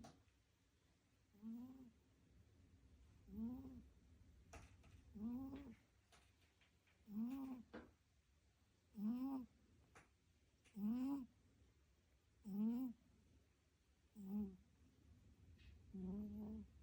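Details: Pet cat snoring in its sleep, with no music added: nine steady, rising whistly snores, each short and harmonic, evenly repeated about every two seconds against a quiet indoor background.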